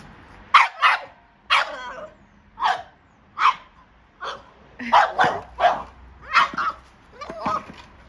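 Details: A Boston Terrier freaks out at a Jolly Egg toy, barking in sharp, rapid bursts, some doubled, with brief pauses between.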